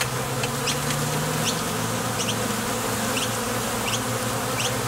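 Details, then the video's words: Close hive-entrance buzzing of honey bees departing and arriving at a Top Bar Hive, one deep tone wavering in pitch within the thick drone, and brief high chirps at intervals. "Bees Sound Effects"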